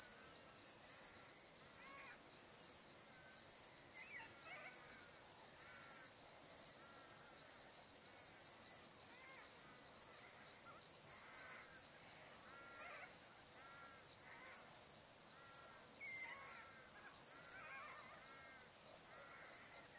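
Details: Australian crickets at sunset by the Barcoo River in Welford National Park, Queensland Outback, summer: shrill steady chirping in repeated pulses roughly every second, softer warbling birdcalls underneath.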